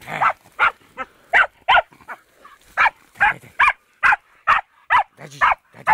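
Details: Barking fox terrier meeting a wild boar for the first time, a steady run of about fourteen short, sharp barks spaced roughly every 0.4 seconds.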